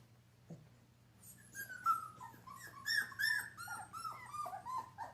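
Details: Giant Schnauzer puppy at play indoors, tugging at another dog's tail, lets out a fast, uneven string of high-pitched whimpers and squeaky whines that often fall in pitch, following a near-silent opening.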